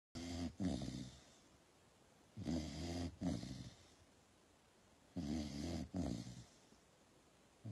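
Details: Sleeping Pit Bull snoring indoors: three deep, rough, rumbling snores, each a two-part drawn breath lasting about a second, spaced roughly every two and a half seconds with quiet breathing between.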